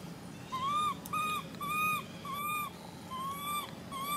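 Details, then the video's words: Screaming baby monkey giving six evenly spaced, bright, slightly arched cries, each about a third of a second long with rich overtones, over faint low background hum. "Why is this cute baby monkey screaming"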